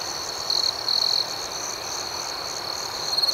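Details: Night chorus of crickets: a high, even trill that swells briefly twice in the first second and again at the very end, otherwise steady and unbroken.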